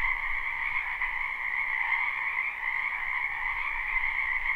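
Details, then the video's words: Spring wetland frogs in full chorus, recorded live without looping: countless overlapping trills merge into a continuous high buzzing drone with gentle swells in loudness and no other clear sounds. "Ambient Noise for Sleep Frogs Black Screen"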